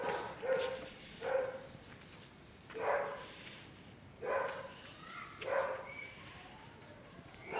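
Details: Caucasian Shepherd Dog from Azerbaijan, aged a year and a month, barking steadily: six deep, resonant single barks roughly every one to one and a half seconds, with background hiss between them.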